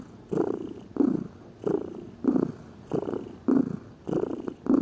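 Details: Pet cat purring contentedly: low buzzing rumbles of about half a second, seven in a row, evenly paced with soft pauses for breath.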